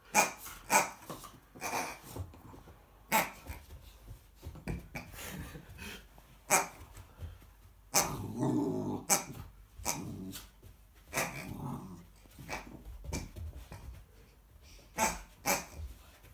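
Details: American Akita puppy confronting a pig, growling with low rumbling bursts and sharp clicks and thuds throughout, louder grumbling stretch near the middle, indoors in a small room.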